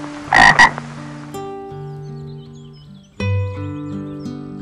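A frog gives a brief, harsh double croak, followed by soft sustained music.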